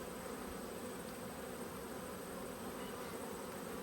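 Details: Honey bees from two hives angry at being inspected by a beekeeper, recorded 5 March 2022: a dense, steady low hum of many bees droning without pause, a massed swarm buzz filling the whole stretch.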